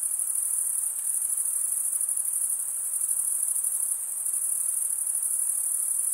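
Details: Crickets chirping by stridulation, rubbing one wing along the toothed vein of the other: a dense, unbroken high-pitched shimmering trill from many callers that holds steady throughout, with no other sounds.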